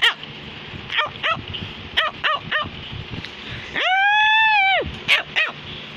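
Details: A female Cavalier King Charles Spaniel gives quick, high yipping barks and one long, arched whine.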